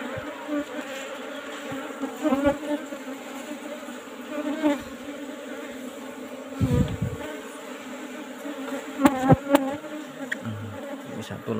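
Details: Old wooden-box colony of Asian honey bees during a honey harvest, buzzing loudly and steadily, with knocks, rustles and sharp clatter of comb handling, heaviest near seven and nine seconds.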